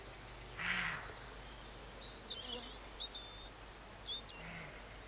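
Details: In August 2012 near Morpeth, Northumberland, a roe deer lets out a short, rough, explosive bark, followed later by a fainter second one. Thin, high chirps from small birds flicker over a steady outdoor hiss.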